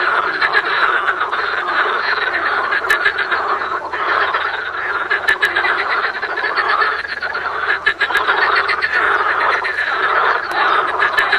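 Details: Frogs in full chorus: a steady, loud wall of raspy, pulsed croaking from many callers at once, scattered sharp clicks standing out over the constant din.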